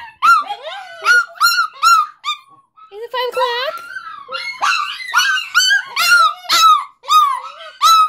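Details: Several pet dogs howling at the 5 o'clock fire whistle, a daily event: overlapping wavering howls with rising and falling tones, broken by short gaps, with brief speech mixed in.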